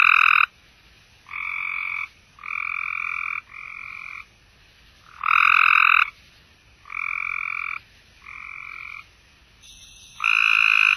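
Cope's gray treefrogs give short, harsh buzzing trills, one after another, at differing loudness.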